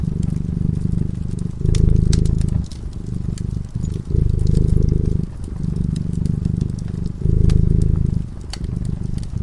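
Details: Domestic cat sleeping peacefully in front of a crackling fireplace, purring steadily: a low, even rumble in alternating louder and softer phases about every two seconds, with sharp fire crackles and pops scattered throughout.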